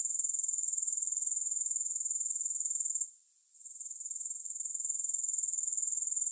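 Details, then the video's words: Grasshoppers in a long sleep and relaxation recording without music: a continuous, very high-pitched pulsing trill with rapid, steady beats. The sound dips out briefly near the middle, then returns to full strength. "3 Hours of Grass Hopper Sounds"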